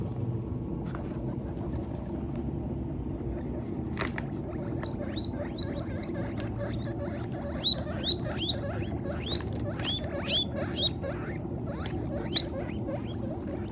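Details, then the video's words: Guinea pigs making noise while eating hay: repeated short rising squeaks, fuller and more frequent in the second half, over a steady low rumbling hum and faint crunching. "Best Guinea Pigs Sounds Making Noise While Eating Hay"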